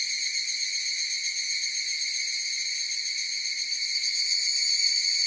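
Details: Evening cicadas (higurashi) singing together: continuous shrill metallic ringing in several layered high tones, unchanging in pitch, swelling slightly louder toward the end; nothing else audible.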